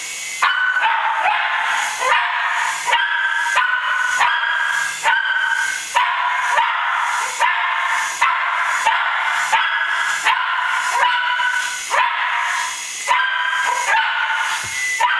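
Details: Pet Cairn Terrier chasing a toy helicopter, barking in sharp, high yaps repeated roughly every second without pause, over a steady high motor whine.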